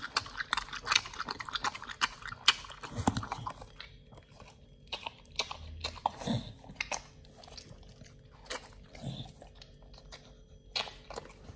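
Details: Raw-fed Pit Bull nomyen working through beef shank, tripe, chicken feet and quail egg; busy crunching for the first few seconds, then sparse isolated bites and soft mouth sounds.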